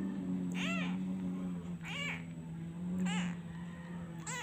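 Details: An abandoned kitten, missing its mother, cries whenever the hand comes away: four plaintive arched meows about a second apart, set against a constant low electrical-sounding hum.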